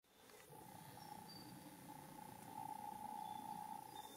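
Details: Foraging worker Japanese honeybees visit white rock creeper flowers for nectar and pollen beside a mountain road in Japan, early July 2016; a steady, droning buzz holds one pitch and swells louder toward the end.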